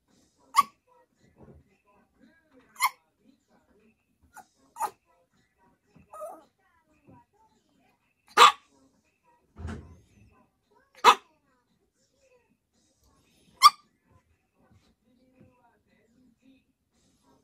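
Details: Yorkshire Terrier named Choco urging its owner to sleep together: sharp, short single barks spaced irregularly over about seventeen seconds, roughly every one to three seconds, with faint soft sounds between them in a quiet setting.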